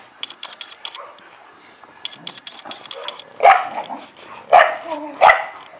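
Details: Illyrian Shepherd, an ancient livestock guard dog breed from Albanian lands in the Balkans, gives three loud, deep barks spaced about a second apart near the end, after a run of faint, rapid, distant barks.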